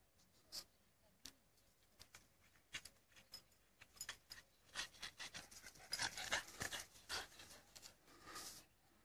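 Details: Australian Shepherd tussling over a contested stick: rapid, irregular breathy panting bursts and snuffles, growing busier and louder toward the end, with faint rubbing and scuffling noises in a small indoor space.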